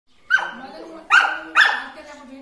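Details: Samoyed pup giving three high, drawn-out whining yelps, each starting sharply then sliding down and fading over about half a second.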